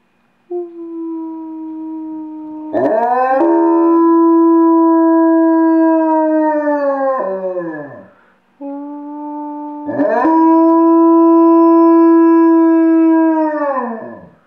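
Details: Yarrow, a pet dog, howls on command on a couch. Two long, steady, tonal howls, each several seconds long, hold an even pitch and then slide downward as they fade. A short pause separates the two howls.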